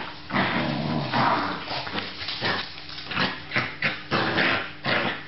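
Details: Australian Terrier producing a run of rough barks and growls, bursts closely spaced then sharper short barks near the end, indoors with a faint constant hum.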